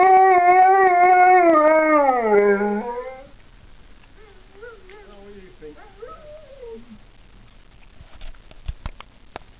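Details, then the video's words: Pet dog howling in response to a dog on a computer: a long, strong, steady howl that slides downward after about two seconds, then softer wavering yips and whines; faint clicks near the end. "howling at dog on computer"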